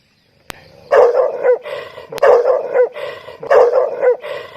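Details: Dog barking loudly in a quick series of sharp, harmonic-rich barks, several in close succession with short pauses between bursts, two sharp clicks near the start.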